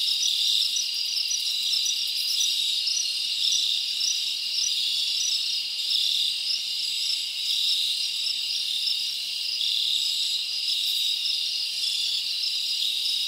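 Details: Many crickets chirp together on a summer night in the forest, giving a constant high, ringing buzz with rhythmic pulsed notes repeating over a steady hiss-like background.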